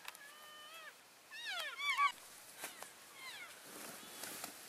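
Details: Members of an elk herd call to stay in touch while walking between grazing areas on February 3, 2012: a thin level whistle, then clusters of short downslurred harmonic chirps from several animals, with light rustling.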